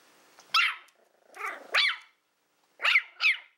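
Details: Willow, a female Toy Fox Terrier born April 2012, at play time with a pig's ear: short high sharp yaps and yelping barks in uneven pairs, with brief pauses between.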